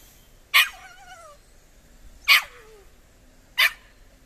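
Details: A nearly four-month-old Irish Soft Coated Wheaten Terrier puppy meets a cat for the first time and gives three sharp, high barks about every one to two seconds. Two of the barks trail off into falling whiny tails.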